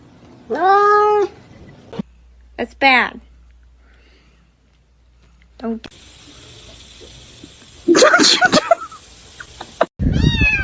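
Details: Kitten meowing: a clear arched meow near the start, then a quick rising-falling mew, later a noisy scuffle and another short meow at the end, with a steady high hiss in the background.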